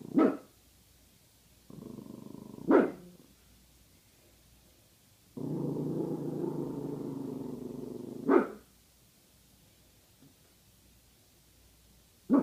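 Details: Female guard dog indoors, suspicious of a bag hanging up: four short, sharp barks spread over about twelve seconds, with low, sustained grumbling growls between them.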